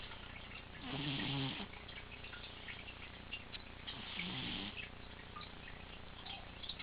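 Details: Leo, a male pet cat, snoring in deep sleep while lying in his favourite position; two low, harmonic rasping breaths about three seconds apart, each with a hissy upper edge, over a quiet indoor hum.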